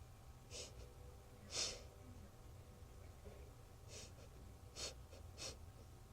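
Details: A circus lion sniffs in short, breathy bursts of air, with pauses between each sniff.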